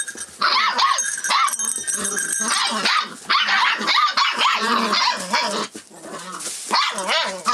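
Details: Forty-four-day-old Rough Collie puppy, filmed 25 February 2012 and quick to react to changes nearby; bursts of shrill yipping and barking with short whines, broken by a brief lull near the end.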